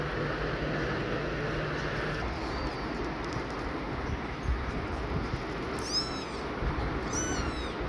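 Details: Domestic cat family: a worried, exhausted, panting mother cat keeps checking her tiny newborn kittens. Two short, thin, high-pitched mews come late, each sliding downward, over a steady low hum of background noise.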